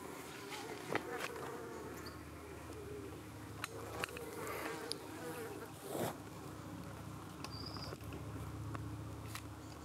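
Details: Hive of honey bees in the UK under attack by flies one evening, bees defending against flies trying to land on their abdomens; a continuous humming of wings punctuated by sharp clicks and taps, with a low rumble underneath.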